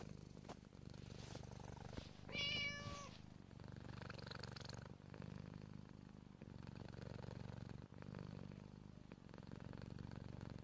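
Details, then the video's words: Siamese cat indoors, giving a single steady, harmonic-rich meow lasting under a second, set against continuous low rumbling purring that runs through the whole recording, with occasional soft clicks and rustles. "Siamese cat meowing"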